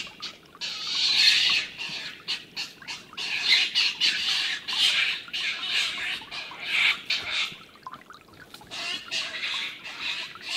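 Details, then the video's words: Two stone martens fighting on a livestream dated 21-04-18, older, bigger Milton beating up young Martin: harsh, raspy squawking screams in rapid ragged bursts, about four per second, rising and falling in loudness throughout. "Milton beats up Martin bad (Stone marten/Steinmarder/Husmår)"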